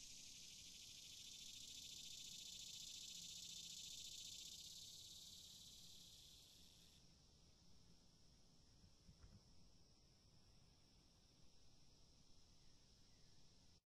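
Cicada song fills the first half as an intense, hissing high-pitched buzz. It then settles into a quieter, steady, even whine that carries on to the end.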